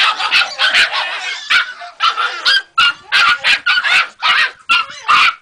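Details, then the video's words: Three-month-old Jagdterrier puppy yapping in quick bursts, sharp high yips and short barks repeated several times a second with brief pauses, bright and strained in tone, no other sounds clear. "Jagdterrier 3 luni"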